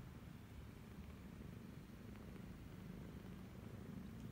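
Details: Cambodian kittens aged 28 days suckle from their mother Laki, a once-stray first-time mother cat, 28 January 2020. A quiet, even, deep purring rumble holds steady across the recording.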